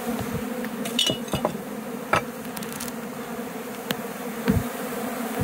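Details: Many honey bees in flight give a dense, steady drone with scattered knocks and clicks, a swarm returning to a hive box after an attempted abscond while the queen was caged; finding: Western honey bee.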